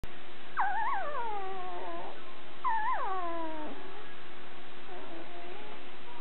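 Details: Nine-day-old male Border Collie puppy from the Nell x Skeet litter, born March 3, 2016 in Cartwright, Manitoba, recorded March 12, 2016; two long whining cries that start high and slide downward, then a faint softer whimper.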